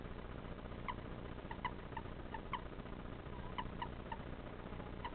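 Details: Pet common toad making its sound on being picked up, which differs from the males' breeding call: brief, faint chirping notes, about ten in five seconds at uneven spacing, over steady background hiss.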